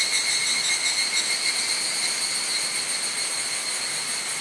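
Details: Evening cicadas (higurashi) singing at dusk on a cloudy 31 July 2011 at Mount Hokyo, Tsukuba, Japan, caught on a camera's built-in mic: a dense, steady, high ringing chorus of layered metallic tones that wavers slightly without pause.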